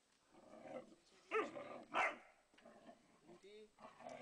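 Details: Young Landseer Mira annoying Flat-coated Retriever Lenny in play: low rumbling growls with two loud, harsh yelps close together, followed by a short tonal whine and more muttering growls.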